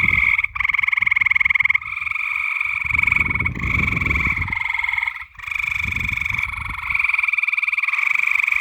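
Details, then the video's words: Night-time frog chorus of fast, pulsed, rattling croaks running almost without pause. Short dips in the calling occur, and a low rumbling background swells around the middle. "SOUNDS OF FTOGS AT NIGHT"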